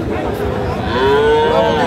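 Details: Bull calf at Raniganj cattle market, Dinajpur, 1 December 2024; market chatter, then a rising, bending moo in the second half.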